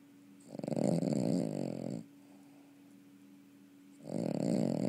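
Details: A dog snoring indoors: two long, rough, rasping snores, each about one and a half seconds, separated by a quiet pause, with a steady low electrical hum underneath.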